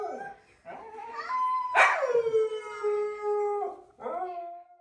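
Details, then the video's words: Pet Siberian Huskies singing indoors: drawn-out tonal howls with rich harmonics, one long steady note held about two seconds after a sharp onset, followed by a shorter rising howl. "Huskies Singing 🎤 | Husky Singing & Talking"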